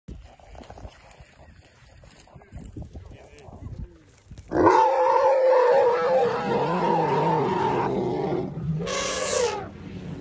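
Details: Khanyisa, an orphaned albino elephant rescued from a poacher's snare in January 2020 and rehabilitated at Hoedspruit, South Africa, is greeted by the Jabulani herd with a fanfare of trumpeting: a loud sustained brassy blast, then a short harsh burst.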